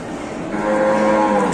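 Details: Large horned cattle being unloaded from a truck in Indonesia. A single sustained low moo with steady harmonics, rising in volume halfway through, with faint crowd and music in the background.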